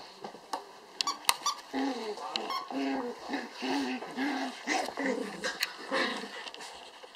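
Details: Apricot dwarf poodle puppies, eight weeks old, born 30 October 2014 at a kennel in Finland, playing with their mother indoors; short high squealing yelps with clear harmonics come in quick bursts, with scattered clicks and knocks.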